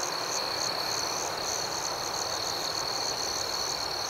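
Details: Nighttime chorus of crickets, a continuous shrill trill joined by a faster pulsing high buzz repeating several times a second, steady in loudness throughout with no other clear sounds.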